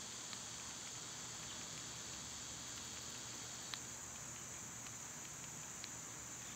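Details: Summer cicadas singing outdoors on one of their quieter days, a steady high-pitched hiss droning without a break, with a few faint sharp ticks scattered through it and a low rumble of background noise underneath.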